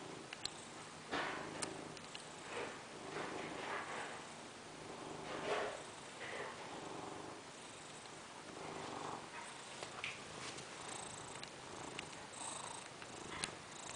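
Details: A fat domestic cat purring while sunbathing; soft, low rumbling purr in steady cycles, swelling and fading roughly every second with breaths, quiet overall with faint higher hiss and a few light clicks.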